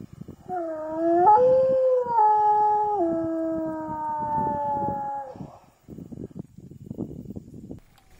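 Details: Induced howl from a wolf howling survey of Gray wolf populations: a sustained harmonic wail that jumps up early, then steps downward and holds level for about five seconds, followed by rustling and scattered low noise.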